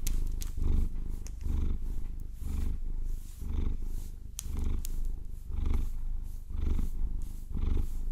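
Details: Maine Coon cat named Vasilisa, a pet enjoying a massage with long nails; steady low rumbling purr swelling and fading in pulses about once per second, overlaid with sharp tapping and scratching clicks from the nails.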